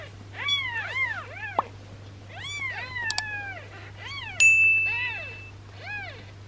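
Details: Swollen-bellied newborn kitten, thought to have gas buildup, with a massage given for relief: a series of thin, rising-and-falling mews, a few sharp clicks, and a brief steady electronic tone midway.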